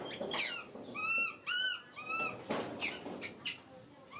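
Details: A baby pet monkey crying and screaming: thin, high arching squeals repeated in quick bursts, some rising then falling, with soft rustling and handling noises between them.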